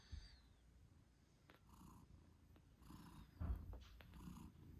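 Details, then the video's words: British Shorthair mother cat purring while nursing her 8-day-old kittens: a low, steady rumbling purr, with a brief high thin squeak near the start and some soft rustling. "Cute Kittens Meowing Yawning Sleeping Cat Mom Purrs Loudly 🥰 8 Days After Birth British Shorthair"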